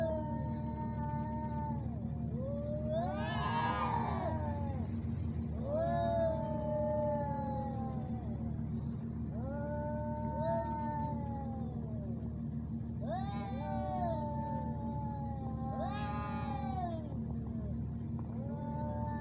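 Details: Two male cats squaring off in Al Rahmanya, Sharjah, UAE: repeated drawn-out yowls a few seconds apart, broken by three harsh screaming outbursts, over continuous low machine hum.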